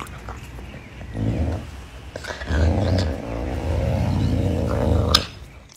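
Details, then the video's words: Caracal Pumba eating chicken wings, giving a rising rough growl that swells and then holds for about three seconds before cutting off with a sharp crunch. "Caracal Pumba is Eating Chicken Wings"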